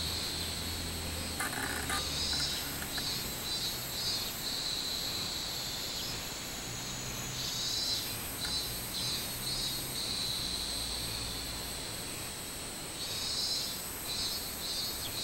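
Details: Recorded 24 July 2016, a robust cicada sings repeated phrases of rapid high pulses, each burst swelling then breaking off, against a continuous high insect whine and low background rumble.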